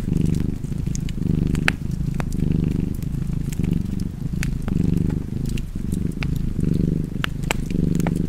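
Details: Continuous rumbling purr from a cozy house cat beside a fireplace, its breath-driven swells repeating roughly every second, overlaid by frequent sharp crackles and pops from the fire.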